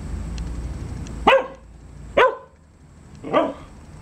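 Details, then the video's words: A dog barking three times at roughly one-second intervals: crisp, punchy barks, the last slightly softer and rougher, over a quiet background with faint low rumble. "Who are you barking at?"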